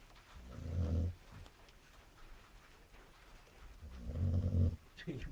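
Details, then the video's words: A chow chow dog snores: low, rough rumbling breaths about a second long, separated by a quieter pause of roughly three seconds, with faint speech in the background. "чау-чау храпит"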